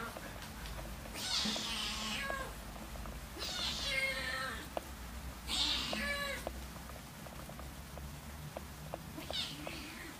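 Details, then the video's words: Two Siamese cats, Keiko about three months old and her half-brother Zen about one year, recorded in August 2009 as she moves in; four loud harmonic meows roughly every two to three seconds, sliding down at the end, with light tapping and room hum. "Siamese cat Keiko moves in with her half-brother Zen"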